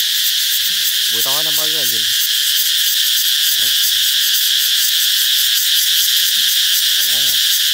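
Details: Cicadas singing loudly to herald the coming of summer: a dense, unbroken high-pitched buzzing drone fills the whole clip, while short wavering lower-pitched calls break in briefly near the start and again near the end.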